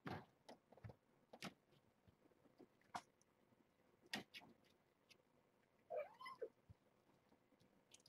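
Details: Kittens from a litter of seven, born June 21 to the rescued stray Nala Se at Purrfect Pals, during morning formula feeding at breakfast; a single brief rising mew near the end, amid scattered clicks and handling knocks indoors.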